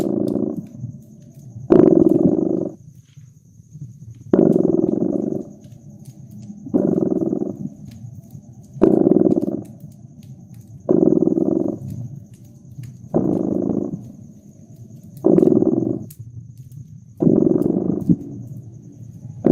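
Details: Purring cat near a crackling fireplace in winter ambience, with steady rhythmic cycles of low vibrating purr, each lasting under a second and returning roughly every two and a half seconds, while sharp crackles from the fire pop between breaths.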